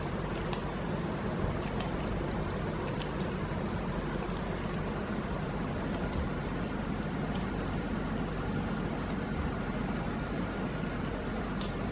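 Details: Continuous low rumbling noise, like passing vehicles, fills the recording with faint ticks and no audible cat calls.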